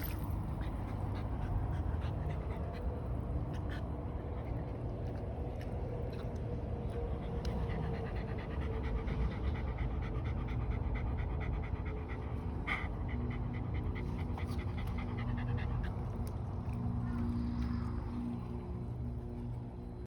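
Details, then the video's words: Shiba Inu dog bathing in water in summer, panting in a steady rapid stream of short breathy puffs that runs without pause for the whole stretch, with a few faint clicks and brief higher squeaky tones mixed in. "柴犬 夏の水浴び"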